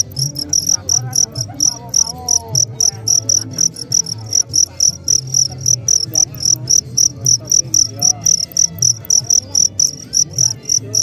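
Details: Regular high-pitched cricket chirps, about four pulses each second, shrill and ringing, set against a soft low hum and faint wavering tones in the background.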